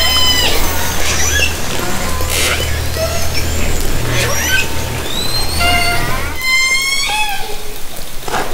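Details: Orcas recorded by hydrophone from a kayak in Haro Strait during summer 2010 encounters: a dense overlapping mix of rising and falling harmonic whistles and pulsed calls, some sweeping upward in quick series, over a steady low underwater hum.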